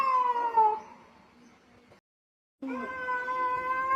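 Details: Domestic cat meowing: a falling meow that fades into faint background rustle, a brief silent gap, then a steady, even-pitched meow.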